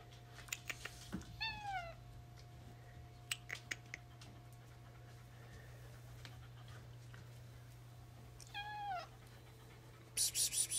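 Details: Tuxedo cat chatting with its owner indoors: two drawn-out falling meows several seconds apart, with scattered taps and clicks, a constant low hum, and a burst of louder noise at the end.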